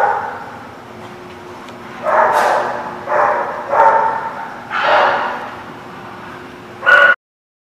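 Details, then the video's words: Dog barking at The Barking Lot, recorded 3 November 2017: several short, harsh barks in a loose series over a few seconds, then a final sharp bark, against a low steady background hum. "The Barking Lot"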